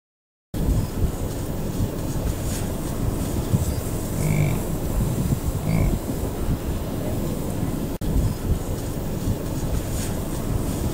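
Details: A bison bull's deep, rough, steadily rumbling growl, the growling grunt bulls give during the rut, recorded from a car on the morning of 26 July 2017 at the Tall Grass Prairie Preserve near Pawhuska, Oklahoma, with herds on the move.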